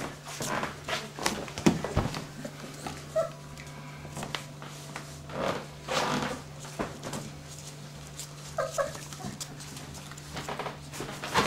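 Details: Dobermann puppies of the E litter at 25 days old, indoors in a small room: short high whimpering squeaks and soft yelps scattered through, over a steady low electrical hum and shuffling noises.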